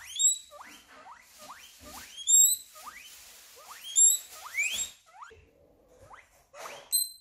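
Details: Guinea pig squeal, a series of sharp upward-sweeping whistled notes roughly every half second, some reaching very high, with a brief lower chirping patch near the end.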